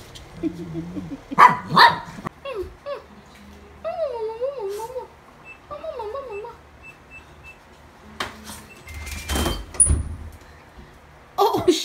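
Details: Newly adopted Toy Poodle indoors, recorded 24 August 2018: two quick high barks open, followed by wavering, sliding higher-pitched vocal sounds and a few sharp knocks near the end.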